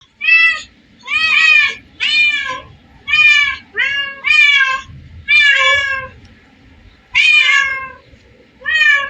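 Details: Cats at a place holding hundreds of them: a run of loud, drawn-out meows, each about half a second to a second long and gently rising then falling, arriving irregularly with short quiet gaps and a low background murmur.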